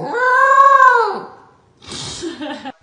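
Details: A grown female corgi that howls when she eats gives a drawn-out, arching howl, then a rougher, grumbling vocal burst.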